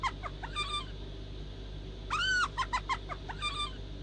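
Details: Hyena giggle: bursts of quick, high, arched yelping notes, with one long rising-and-falling squeal in the middle, set against a constant low background hum.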